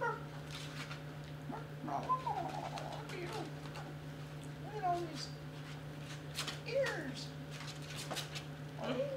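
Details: Young Basset Hounds playing together: a string of thin, bending whimpers and squeaks at irregular intervals, mixed with human talk, rustling and a continuous low hum.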